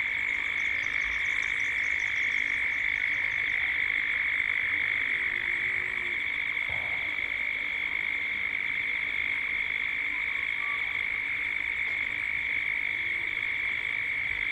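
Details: Cicada chorus building toward dusk in Gippsland, Australia: an unbroken, shrill, ringing drone from many insects. Brief high bird twitters come early on, and a few soft low notes sound underneath.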